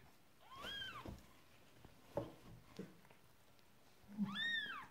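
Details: During the birth of her second kitten, Persian cat Marley lets out two arched meows at the start and end, separated by soft knocks and rustling indoors.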